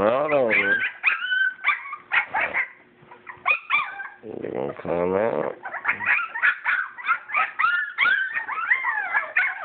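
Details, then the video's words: Purebred English Springer Spaniel puppies, born 22 July 2012, playing together: a dense tumble of high, wavering whimpers and short yips, pitch sliding up and down, overlapping almost continuously, with brief lower harmonic cries and a little human talk. "Springer Spaniel Puppies born 7/22/12 Puppy/Dogs at Play!"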